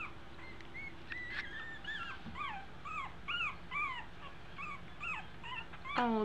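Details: Two-week-old American Eskimo Dog puppies learning to walk give a steady run of thin, high, arching whimpers, each squeal bending up then down, about two per second, ending in a louder drawn-out cry.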